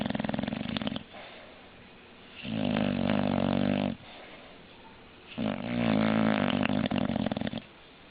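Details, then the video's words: English bulldog asleep indoors, snoring in long rasping breaths about every three seconds, each a dense harmonic-rich rumble lasting over a second, with quieter gaps between. "Funny Snoring English Bulldog"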